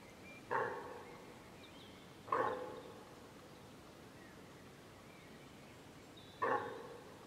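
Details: A deer hind calls for her calf, which was separated from her when a group of wild boar came between them. Three short, hoarse barking calls sound at irregular gaps of about two and four seconds over quiet background.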